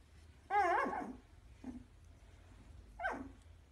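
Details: Vizsla puppies giving a long, high, wavering whine-like yelp followed by two short, sharp yips spaced about a second apart, with quiet background between them.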